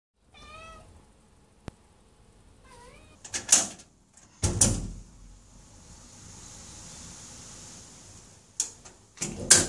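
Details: Domestic cat meowing to ask for the door to be opened: a clear, rising-falling meow, then a shorter second meow, followed by loud door rattling, knocks and clattering.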